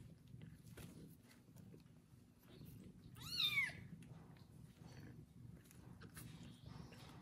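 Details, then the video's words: Kitten after his first bath, being licked and cared for by a pregnant foster mother cat: one loud, high, arched meow sliding up then down, lasting about half a second, over low background rumble. "Foster mom cat takes care of loud meowing kitten after his first bath"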